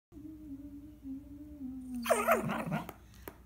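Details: Small pet dog singing along: a long steady whining tone held for about two seconds, then a wavering, rising yowl with a few sharp clicks near the end.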